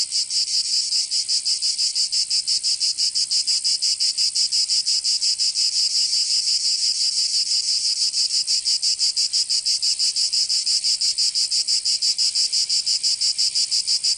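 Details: Summer cicada chorus from Provence in the south of France, a continuous shrill buzzing drone beating in fast, very regular pulses roughly three per second, steady and loud throughout.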